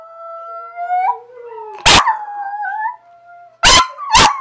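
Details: Abby the dog joins another dog in howling; sustained harmonic howls rise and bend in pitch, with a sharp loud bark-like burst midway and two more short bursts near the end.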